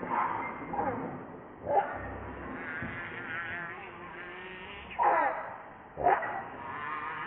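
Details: Baby monkey Rainbow cries, hungry for milk while its mother rejects it: wavering, whiny harmonic wails rising and falling, with sharp squeaky cries near two and five seconds and a brief louder yelp just after six seconds.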